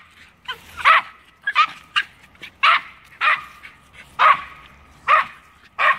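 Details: Two Norfolk Terriers barking at a squirrel up a tree: sharp, bright barks repeated roughly every 0.7 to 0.8 seconds, some in quick doubled bursts, with a steady faint tone running beneath.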